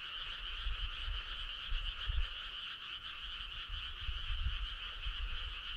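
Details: On a midsummer night, a steady frog chorus of rapid, pulsing trills, with low rumbling noise underneath.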